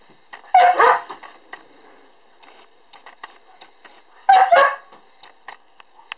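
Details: Two bursts of high-pitched yapping barks, about four seconds apart, from a cream-coloured female puppy born October 1, filmed December 2 in a small indoor room, with soft clicks and rustles in the gaps.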